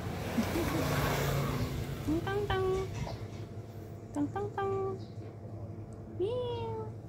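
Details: A kitten playing alone mews in short rising-then-falling calls, about four spread over seven seconds, with a soft low hum and faint handling noise underneath.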